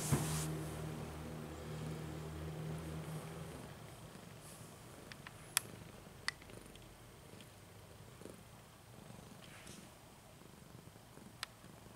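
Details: Very old house cat named Janis asleep on the bed, giving a low, rhythmic purr that is strongest over the first few seconds and then fades, followed by quiet room sounds and a few sharp ticks.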